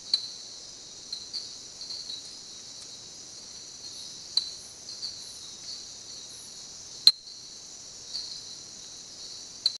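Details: A common tink frog (Eleutherodactylus diastema) calls at night in the jungle at a lodge, giving sharp, metallic single tinks every few seconds over a steady insect drone.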